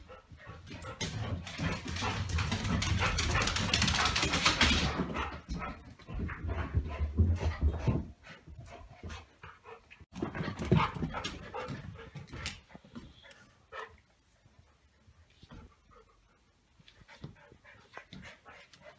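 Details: A 9-week-old golden retriever puppy and an older golden retriever play keepaway with a Kong toy, with rough huffing, soft whimpers and scuffling that fade to quieter rustles.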